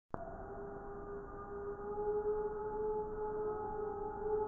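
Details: Multiple gray wolves (Canis lupus) howl together in Wisconsin in December 2019: a chorus of long, steady, mid-pitched tones that overlap and hold.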